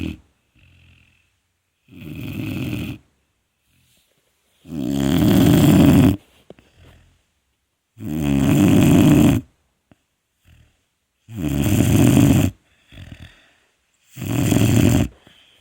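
A sleeping Vizsla puppy snores in low, rasping breaths, one every few seconds.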